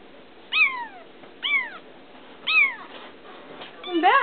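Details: Young feral kitten, newly caught and growing lovable, calls three clear downward-sliding meows spaced about a second apart, ending with a louder rising-then-falling cry.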